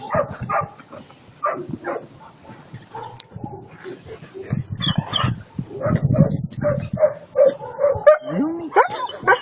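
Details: Irregular deep woofs and sharper yips from a German Shepherd, ending in a rising whine, with people speaking alongside the dog.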